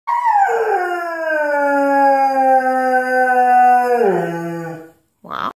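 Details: A Standard Poodle "sings" in front of a window, giving a long, sustained howl that slides down and levels off before dropping at the end.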